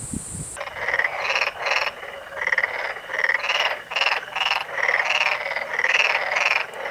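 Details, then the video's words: Black-spotted pond frog (Pelophylax nigromaculatus) calling in Korea. A steady chorus of rattling, pulsed croaks: about ten half-second bursts in seven seconds, separated by brief gaps. A short high whine is heard at the very start. "Pelophylax nigromaculatus Calling_video (참개구리의 울음소리_영상)"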